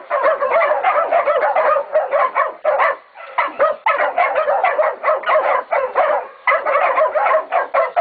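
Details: At Golden Creek Catahoulas Kennel, Catahoula and BMC pups of 16, 11 and 14 weeks bay a pig with fast, strident barks and yips in tight clusters, one short pause around three seconds in.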